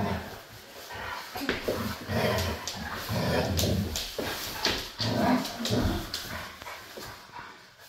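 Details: Siberian husky at play, making rough, throaty grunts and growl-like noises in quick, uneven bursts throughout, with a person's voice heard now and then.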